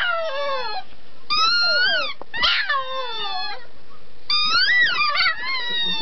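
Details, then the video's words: Puppy singing in long whining howls that rise and fall, several overlapping notes wavering in pitch, broken by brief pauses; a person's voice is faintly mixed in. "Puppy Sings!"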